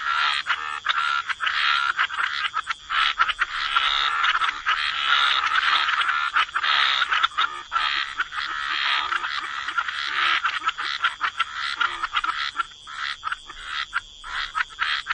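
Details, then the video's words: Wetland frog chorus by the water, with many rasping croaks overlapping into a steady wall of sound that thins toward the end into distinct, spaced bursts. "Relax to the Sound of Croaking Frogs"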